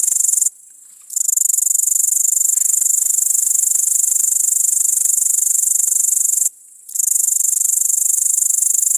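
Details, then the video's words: Great green bush-cricket, Tettigonia viridissima, recorded on an iPod touch 5: loud, continuous high-pitched rasping chirr with fine rapid pulsing, broken by two short silent pauses of about half a second. "Зелёный сверчок стрекочет green cricket chirping Tettigonia viridissima"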